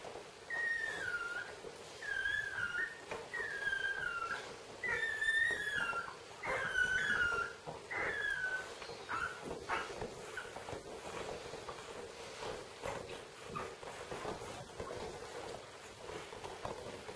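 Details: Basenji puppies nursing from their mother, who keeps them clean, give high, thin whimpers that slide downward in quick bursts.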